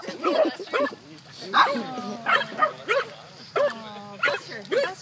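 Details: Puggle at a dog park, scared of a little pig, giving short yelping barks in uneven bursts, some trailing into steady whiny tones, while people talk close by.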